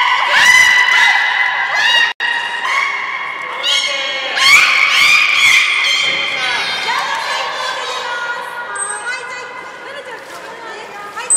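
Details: Juvenile belugas in their play time during a pool move at Port of Nagoya Public Aquarium, 5 November 2017, giving dense overlapping squeaky harmonic calls, some sweeping upward, with a brief high whistle near the end.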